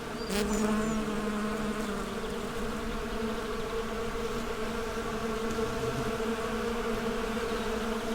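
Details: Honey bees buzzing together in a dense, steady drone, a low hum with layered harmonic tones holding constant throughout, a brief sharp click near the start.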